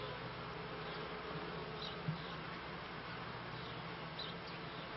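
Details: Kept honey bees, end of 1995 season heading into 1996, produce a steady humming buzz; one short knock sounds near the middle over the constant drone.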